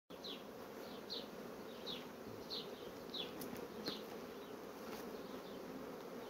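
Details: Honey bee colonies that are quickly building up brood frames, heard as a steady, dense low hum. Short, descending bird chirps repeat roughly every half second in the background.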